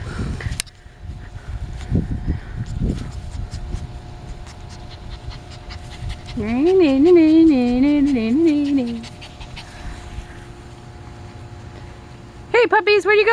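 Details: Puppies playing outside; one puppy gives a long wavering, high whine lasting about three seconds, then a second short whine starts at the end, after human talking and rustling at the start.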